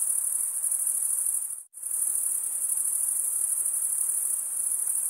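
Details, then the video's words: Chorus of chirping male crickets, a dense high-pitched trill of rapid pulses, breaks off abruptly for a fraction of a second after about a second and a half, then resumes just as steady. "Most relaxing cricket sound for 8 hours"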